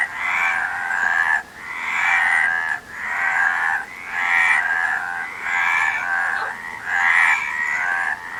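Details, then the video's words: Frogs croaking in a dense chorus, harsh rattling bursts of roughly a second each, separated by brief dips, with faint higher whistling notes above the mid-pitched din. "Frog Sound"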